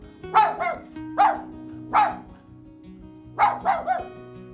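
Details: A dog gives a run of about seven abrupt barks, single at first, then a fast cluster of three near the end, with gentle music playing underneath.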